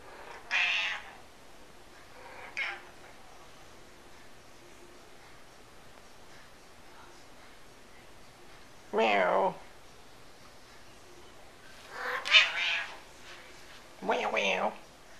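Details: Noisy domestic cat meowing repeatedly: a bright meow, a short faint one, then after a long pause a drawn-out falling meow and two more loud wavering meows close together near the end, quiet between calls.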